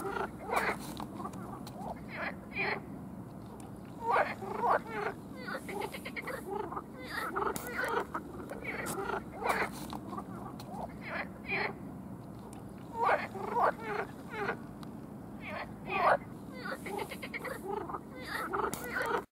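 Frogs croak in repeated short bursts, the males calling to attract mates.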